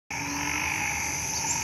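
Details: Banded bullfrogs and small frogs calling together in a hospital garden in Thailand at night after rain. A dense, steady, shrill chorus of layered continuous trilling tones with no pauses.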